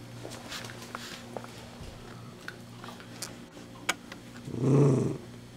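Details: Dachshund eating a crunchy handmade treat indoors: scattered crisp crunching clicks, then near the end a short, low, rumbling growl lasting under a second, with a faint steady hum in the room.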